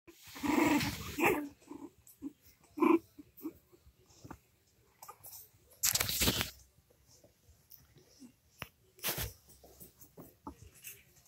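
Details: Cavalier King Charles Spaniel puppies, 3 weeks 4 days old, play together, giving short squeaky yips and soft growls.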